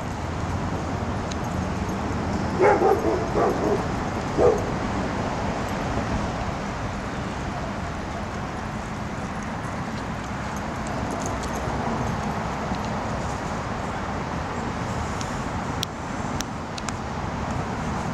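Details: Shiba Inu named Momo playing ball at the Peter Detmold Park dog run; a few short barks come close together early on, then steady traffic-like background noise with faint distant sounds.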